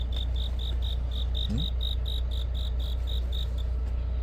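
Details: Autumn-night cricket giving an even series of short, high chirps, roughly four per second, with a brief human voice sound partway through and a steady deep hum underneath.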